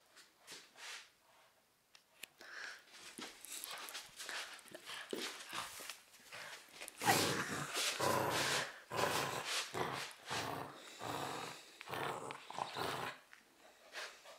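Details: Cavalier King Charles Spaniel named Romka, filmed in 2013 while fighting over her favourite teddy bear. Rough, noisy growls and snorts come in irregular bursts, louder and denser in the second half.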